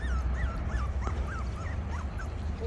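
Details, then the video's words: Havanese puppies playing outside: a run of high, wavering whimpers and yips, each bending up and down, repeated every few tenths of a second over a low rumbling background. "Havanese puppies outside play"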